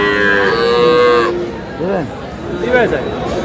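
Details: Cow at a crowded livestock market, Aftabganj haat in Dinajpur, where cows with calves are sold, 19 May 2026; one drawn-out harmonic moo lasting over a second, then men talking over the market din.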